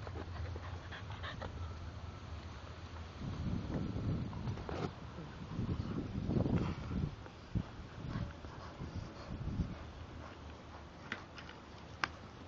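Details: Two English Bulldogs, Spike and Molly, playing with each other and biting; low, rough grunting and snorting bursts swell through the middle stretch over a steady low hum, with a few sharp clicks near the end.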